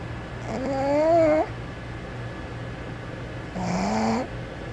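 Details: Sleeping pug snoring: two nasal, whistling snores with a wavering tone, each about a second long and separated by quiet breathing, over a low steady hum.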